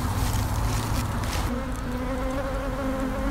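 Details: Disturbed honey bee colony from a nest under an abandoned sofa while combs without honey are cut away; loud continuous low droning buzz, steady in volume, with thin whining overtones in the second half.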